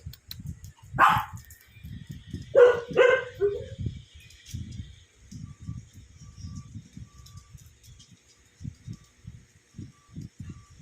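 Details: Sleepy pet Shih Tzu at playtime while a visitor is still around: two sharp barks and a short yip early on, followed by soft low thumps and shuffling from play.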